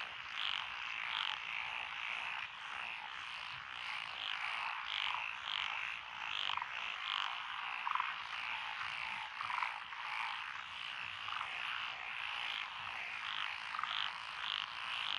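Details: Night-time style frog chorus from lotus rice fields in Echizen, Fukui, Japan, recorded June 12, 2021, with several frog species present; rapid overlapping croaks and repeated sharp notes form a continuous rhythmic din.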